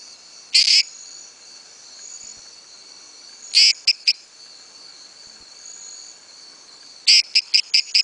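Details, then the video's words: Small-headed treefrog advertisement calls: three high, creaky bursts, each a longer note followed by quick short clicks, the last with four clicks, separated by quiet gaps over a faint steady high hum. "advertisement calls Dendropsophus microcephalus"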